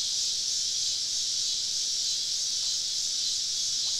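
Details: Dense chorus of many cicadas surrounding a camp deep in the woods on a southern summer evening, a seamless high-pitched sizzling wash with no breaks or pulses.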